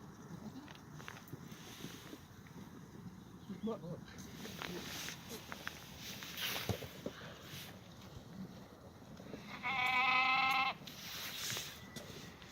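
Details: Black goat on a farm exercise yard in Gimhae, South Korea, Tuesday morning in clear weather, 2 April 2019: a steady background of yard noise and voices, broken near the end by one bright, trembling bleat.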